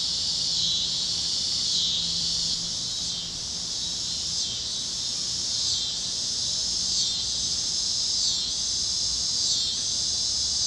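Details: Cicadas chirping over Kansas fields at sunset on a warm evening on the great plains, with other critters singing: a dense, high buzzing chorus that swells in pulses about once a second over a steady background hum.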